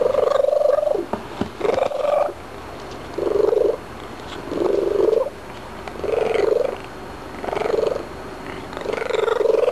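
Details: Domestic cat chatting after eating a few treats, indoors: a run of short mid-pitched vocal bursts about every second, some flat and some arched, with softer clicks and a person's voice between them.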